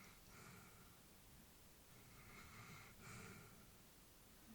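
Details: An elderly female Labrador Retriever (Canis familiaris) sleeping peacefully breathes softly, with slow airy exhalations and faint nasal snorts.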